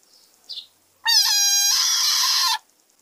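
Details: Frog screaming: a loud, strained wail about one and a half seconds long with a strong harmonic stack, steady at first, then turning harsher and noisier before it cuts off. A brief faint squeak comes just before it.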